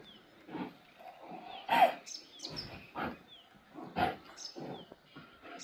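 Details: Baan Gaddi, a Himalayan sheep dog, set against a Tibetan Mastiff: rough, broadband barking and growling bursts, irregular, roughly every second, with faint high descending chirps repeating behind.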